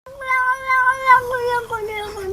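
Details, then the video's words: Frightened grey house cat stuck on top of a garden fence in Hoofddorp, Netherlands, on June 24, giving one long drawn-out wailing moan that wavers slightly and slowly sinks in pitch. "Cat Stuck On Fence Makes Weird Noises"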